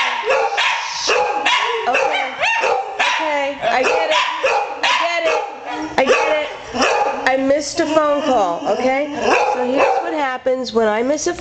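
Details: Buddy the hound and Courage the poodle, two pet dogs, respond to a missed-call ringtone with barking and rising, wavering howls, while a person talks over them in the first part.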